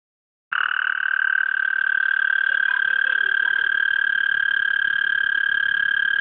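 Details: In a garden, a male frog calls persistently to attract females, giving a loud, unbroken high trill.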